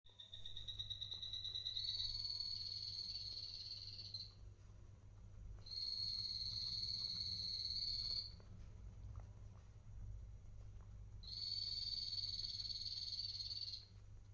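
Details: Pet guinea pigs, adopted as adults, filmed on Guinea Pig Day, 6.12.2022: three long, high, steady whistles, the first rising slightly in pitch. Each lasts two to three seconds, with short gaps between them over a low steady hum.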